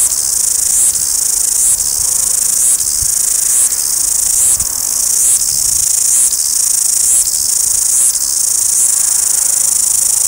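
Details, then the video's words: Wellington, New Zealand cicadas sing in a steady, piercing high buzz, a rasping drone broken by short dips nearly every second. "Noisy Cicadas - Wellington NZ"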